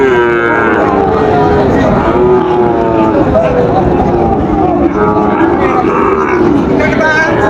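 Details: Sahiwal bull calves at the Raniganj cattle market in Dinajpur on 30 September 2024, as trading opens; drawn-out, overlapping lowing moos rise and fall over a dense, steady murmur of crowd voices.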